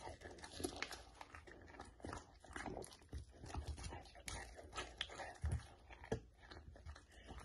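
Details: Samoyed eating steamed chicken, close-miked indoors: wet smacking, soft crunching and licking sounds in irregular bursts against a low background hum.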